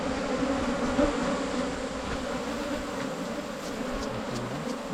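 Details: Continuous humming of wild Asian honey bees, recorded while hunting for honey in the 2022 season. The drone is even and low-pitched, with a small bump early on and faint ticks later.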